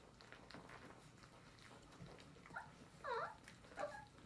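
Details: Hungry English Springer Spaniel puppies at their first meal: soft whimpers build into a few short, squeaky high cries close together near the end, over quiet indoor background.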